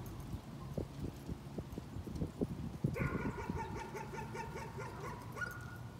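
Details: Dog barking as a nuisance: the first half holds irregular low knocks and thumps, then a run of about ten rapid, evenly pitched barks follows before fading into a short tonal note.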